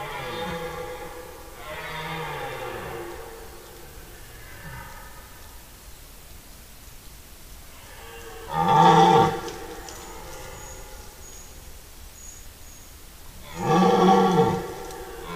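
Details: Red deer stags roaring in the forest rut, 10–15 September 2018. Softer moaning roars give way to two loud, harsh, broadband bellows about five seconds apart, the nearer stag sounding close.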